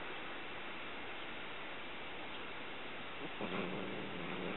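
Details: Domestic cat named Poo snarling in a dog-like way over a freshly caught mouse as someone approaches; a dense, rasping growl runs throughout, with a steadier low droning tone emerging in the final second.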